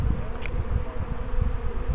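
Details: A swarm of bees, swarming again a week after an earlier swarm. It makes a steady low, dense droning hum with pulsing rumbles, and a brief click is heard.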